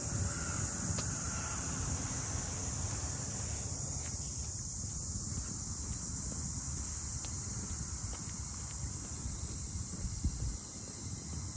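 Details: A cicada chorus over the Ine no Funaya boathouse townscape north of Kyoto, heard while walking: an even, high-pitched hissing drone steady throughout, above a thick low rumble and a few faint clicks.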